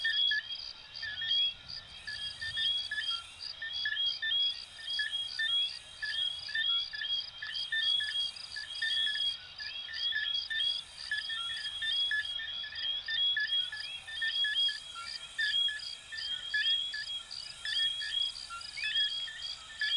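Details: Night chorus of coquí, little frogs from Venezuela and Puerto Rico: overlapping short repeated chirps and high whistled notes from numerous callers, steady and unbroken, with a soft hissing background.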